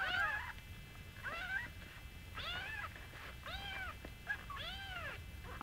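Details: Young Singapura kittens, now fairly large, calling beside their petite mother Mii. Repeated bright, curved meows come in quick succession, about one per second, each short and tonal.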